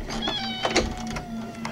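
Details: Male house cat Puck, who misses his owner and calls out before the door is opened: a drawn meow that slowly falls in pitch, with scattered clicks and rustling and a low hum in the background.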